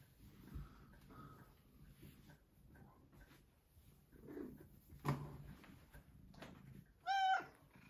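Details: Vocal female Maine Coon demanding breakfast indoors one morning: a single brief, loud, bright meow at the very end after several seconds of soft rustles, taps and faint movement noises.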